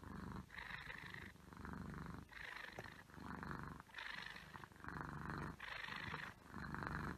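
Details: An Egyptian Mau cat purrs in steady, rumbling pulses that rise and fall with each breath.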